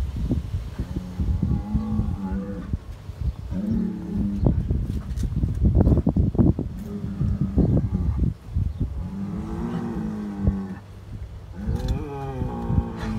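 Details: Hereford bulls fighting on a New Zealand dairy farm: deep, drawn-out groaning bellows come in several bouts of one to three seconds, wavering in pitch, over heavy thuds, scuffling and shoving noises.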